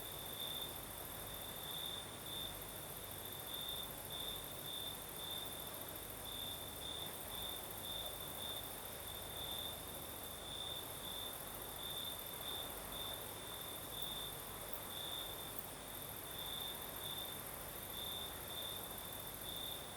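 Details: Southern Crimean night with crickets singing and a breeze: an unbroken high chirping line beating in quick bursts, backed by a bright constant hiss and soft wind noise.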